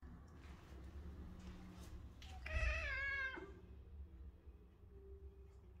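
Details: A British Shorthair cat gives one meow in daylight, slightly falling in pitch and under a second long, set against constant rumbling background noise.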